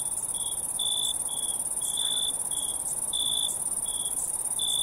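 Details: Nighttime cricket chorus of a constant high-pitched ringing hiss, overlaid by brief, lower buzzy chirps at uneven intervals, about two each second, and nothing else audible.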